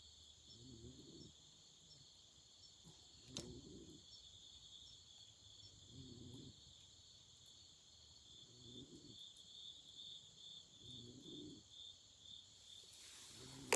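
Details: Steady high-pitched chirring of autumn insects on a night by a campfire, unbroken bright trills continuing throughout, with soft low pulses every couple of seconds, one sharp pop and a rushing burst of fire noise at the close.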